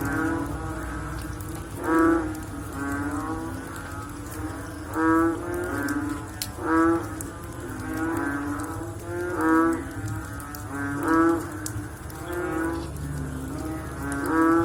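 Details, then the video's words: Overlapping, mooing-like calls of frogs after rain rise and fade one after another through the recording, deep and tonal with many overtones, backed by continuous faint hiss. "Sound After Rain With Sound of Frog / Bunyi Selepas Hujan Pakej Bunyi Katak"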